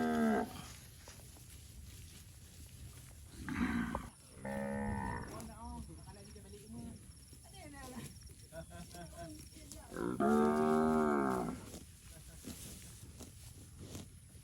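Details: Fat, healthy village cattle roaming rice fields, a herd lowing in long harmonic moos around four and ten to twelve seconds, with shorter softer calls between and faint background noise.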